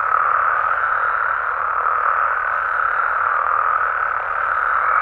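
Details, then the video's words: Nighttime amphibian chorus from natural habitats in Mexico, frogs and toads massed together in a steady, even drone of overlapping croaks with no pauses or standout single voices across five seconds. "Mexican Frogs & Toads Sounds"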